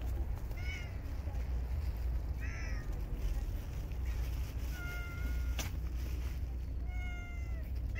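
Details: Park stray cats fed in bitter winter cold let out a handful of clear meows, some short and bent, others long and level, spaced over several seconds against heavy low-pitched background rumble.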